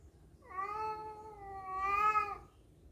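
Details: Cat yowling during a fight over a female, one continuous moaning caterwaul of about two seconds, steady in pitch with a slight swell and waver toward the end.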